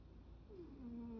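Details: One drawn-out whimper from a cat asleep and daydreaming: a thin tone sliding downward, then holding steady, over a low background hum.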